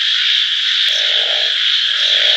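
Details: Chorus of frogs, a continuous high buzzing drone without pause, overlaid by a lower rattling croak that starts near the middle, fades, then returns.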